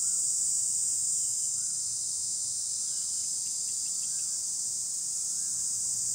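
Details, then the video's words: Cicadas singing up in trees give a steady, high-pitched electric buzz, with faint whistled bird notes repeating in the background. "เสียงจักจั่นร้องบนต้นไม้ ชมธรรมชาติและบรรยากาศ"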